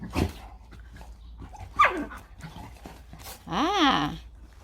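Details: Three-month-old puppies at play give a short rising-and-falling whine near the end, after a brief downward yelp; scuffling and a person talking are also heard.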